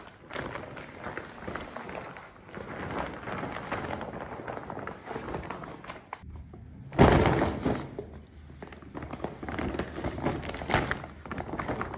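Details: Indoor rustling, soft thumps and footsteps fill the recording, with a louder crinkling burst about seven seconds in and no animal calls.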